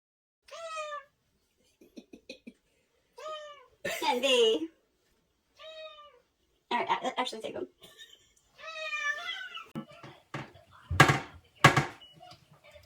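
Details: Domestic cat meowing, a string of drawn-out meows that rise then fall, spaced a few seconds apart, mixed with bursts of human voices and short clattering noises.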